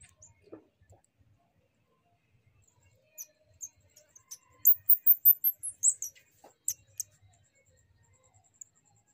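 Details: A young shrew, carried back to its mother, is quiet at first, then gives a quick burst of about six very thin, piercing squeaks in the middle, followed by a few faint ticks.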